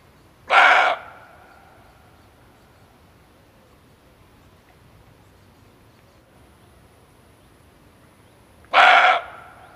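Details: Two gruff, clipped barks of a male barking deer, a call used for luring when hunting, roughly eight seconds apart, each lasting about a third of a second, with quiet hiss between.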